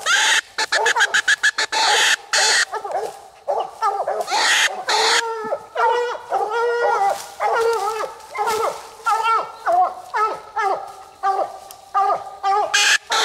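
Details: Nite Ch Fit and Nite Ch Cindy, two coonhounds, at night on their second raccoon, the second in under 20 minutes. Ringing, harmonic barks and drawn bawls pour out in overlapping bursts, with a few sharp clicks early on.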